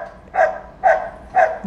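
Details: ['Dog that barks from morning to night whenever children or another dog run past; three evenly spaced, hoarse barks, roughly half a second apart.']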